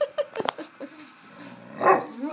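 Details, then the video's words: A dog named Angel barking: a few short, sharp barks in the opening half second, then one louder, fuller bark near the end, with quiet room sound between them. "Angel barking"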